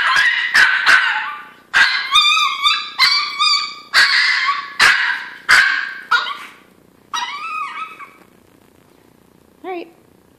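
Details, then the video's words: Chino, a hungry Chihuahua, crying for breakfast as before every meal: loud, drawn-out wavering whines with harmonic wails, broken by sharp yelps roughly every second, fading to softer whimpers and a final short squeal. "Hungry Chihuahua cries for breakfast"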